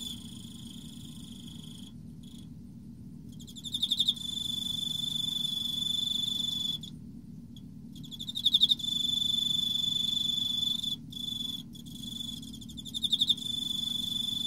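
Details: An Emma field cricket in autumn gives a pure, ringing, bell-like song of rapid pulsed chirps running into sustained trills, broken by short pauses, over a steady faint low hum.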